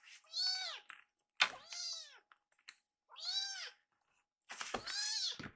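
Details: Fumio, a rescued baby kitten, begs for more food after draining its milk; four loud, drawn-out rising-and-falling meows with a sharp click between the first two.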